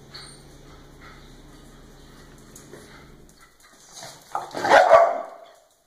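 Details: Pet dogs playing: after several seconds of quiet with a steady low hum, a sudden loud, harsh bark-like burst erupts near the end.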